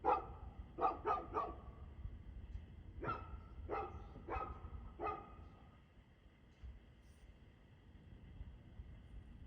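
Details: A dog barks at 6:02pm on 2/6/2024, giving a quick triple bark, then a pause and a run of four more barks, before falling silent against a low, steady background hum.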